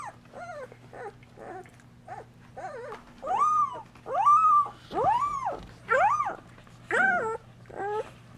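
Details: Two-week-old Golden Retriever pups in a whelping box, tended and nursed by their mother: short squeaks building into louder, drawn-out arched whines, each about half a second long, over a low electrical hum.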